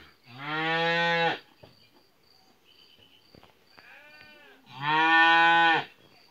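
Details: Two loud, drawn-out harmonic moos about four seconds apart come from calves kept in a yard during hot weather, with faint rustles and a softer shorter call between them and a constant high insect hum behind.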